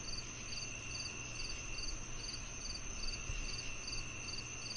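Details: Cricket chirps, heard alongside cicadas, come in an even train of brief high pulses roughly every half second, layered over a steady shrill insect hum and a faint low hum, presented as calming sound to mask tinnitus.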